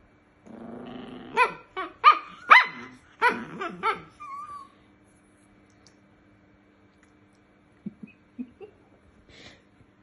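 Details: A male Chihuahua growls low and snaps out sharp, high barks, persistently guarding a chew root so another Chihuahua cannot play with it.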